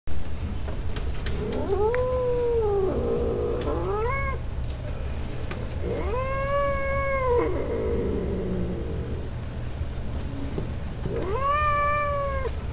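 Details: Male domestic cats kept for mating at a cattery giving three long, drawn-out wailing yowls, each about a second and a half, that rise, hold and fall, spaced a few seconds apart, with a faint low hum behind.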